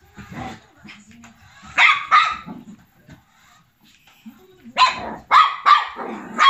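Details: Kuu, a black, tan and white long coat Chihuahua, male, aged 1 year 9 months, fights a radio-controlled Lamborghini he treats as an enemy. Sharp barks come in pairs, then a quick run of four, with brief low sounds between them.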